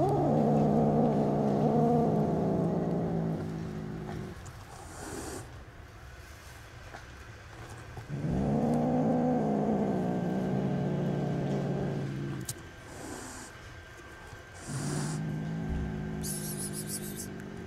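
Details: Five angry kittens about two months old, with their mother cat nearby, react to a person bringing food: low, voiced, wavering growls in three long bursts of about four seconds each, separated by quieter pauses.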